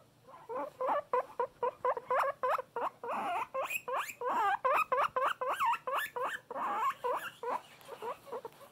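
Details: Pet guinea pig, described as loud, giving fast runs of shrill rising-falling squeals at nearly four per second, loudest in the middle stretch, tapering off at the end.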